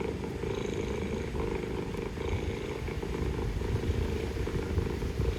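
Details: Istanbul street mother cat purring while communicating with her kittens; dense, rhythmic low rumble lasting the whole stretch, with a brief faint higher note and engine-like background noise.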